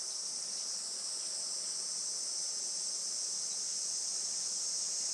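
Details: Japanese summer cicadas on a sunny July morning at a traditional farm in Saitama: an unbroken, even, very high-pitched hissing buzz filling the whole stretch.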